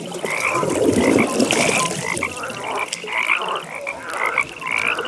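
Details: Nighttime frog pond chorus: many frogs give quick pulsed trills that overlap continuously, with brief bursts of louder croaking standing out every second or so over a steady wash of distant calling.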